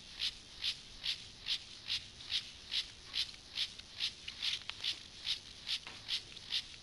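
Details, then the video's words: Stridulating Gomphocerus sibiricus grasshopper in a sexual behaviour sequence. Evenly spaced, dry, high-pitched rasping bursts repeat roughly twice a second, with a few fainter pulses squeezed between them. "Sexual behavior • comportamiento sexual • grasshopper • saltamontes • Gomphocerus sibiricus"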